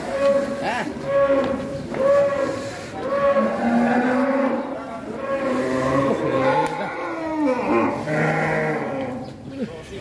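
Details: Very large fattened bull being prepared for Qurban sacrifice in Indonesia; long, drawn-out lowing moos, deep and wavering, repeated back to back, with faint voices and background music.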